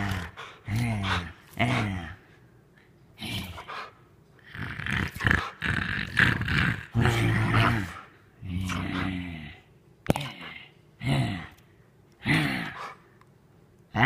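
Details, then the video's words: Female Rottweiler play-acting an attack on her owner, giving a series of rough, harmonic growling and barking bursts roughly every second, interleaved with a man's encouraging voice urging her on. "Rottweiler attacking master!!! Just kidding she's acting"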